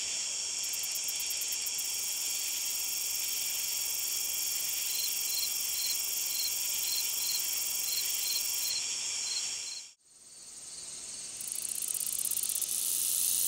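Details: Long-spurred meadow katydid singing a continuous high buzz, with an evenly spaced series of soft ticks for several seconds and rattling bursts at the top of the range. A short near-silent gap breaks the sound before the buzzing resumes.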